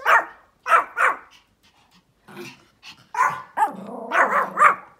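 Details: Feisty Pomeranian outdoors, barking at another dog: three quick high yaps, a pause, then faster barks running into a strained, whiny yelping run near the end.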